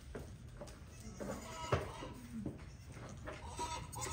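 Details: Registered pygmy goats on Pygmy Harbor Farm in Knoxville, Tennessee, USA, as newborn kids join the herd: several short, nasal, harmonic bleats, some wavering, one sharp cry near the middle, over steady low farmyard rumble.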